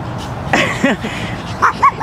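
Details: Brutus, a 14-week-old Pekingese puppy, chasing off a harmless garter snake in Akron, Ohio: a few short, sharp, high yips and barks, quick single bursts spaced unevenly, with another dog nearby and a person talking faintly.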